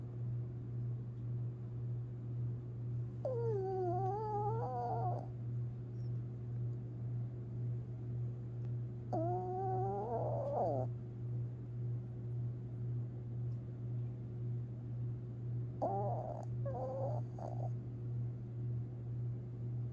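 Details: Long Haired Chihuahua Tinkerbell asleep and dreaming, April 17, 2021: three bursts of thin, wavering whimpers with rising and falling pitch, each lasting one to two seconds, over a steady low hum and soft rhythmic breathing.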